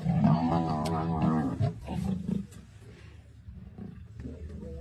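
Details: Black Rock male lion and other lions fighting a buffalo in the Maasai Mara on 6 March 2024; a deep, strained, harmonic roar lasting about one and a half seconds, then lower rumbling growls and grunts.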